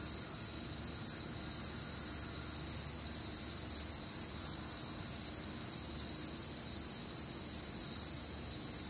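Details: Night chorus of crickets on a humid Midwestern summer evening: shrill, overlapping chirps in stacked high bands, pulsing evenly and unbroken, with a faint low hum beneath.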